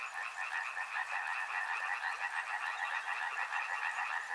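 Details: Frogs croaking in chorus near a river, a rolling, throbbing stream of calls rising and falling in loudness about twice a second.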